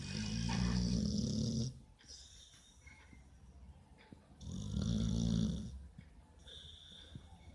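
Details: A pit bull snores in its sleep. Two drawn-out, buzzy, low snores of about one and a half seconds each come roughly four seconds apart, with quiet breathing between them.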